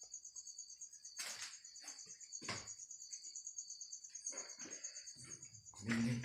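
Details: Insect stuck in a bottle, singing a continuous high-pitched buzzing trill with a beaded pulse, broken by sharp taps and clattering as the bottle is moved.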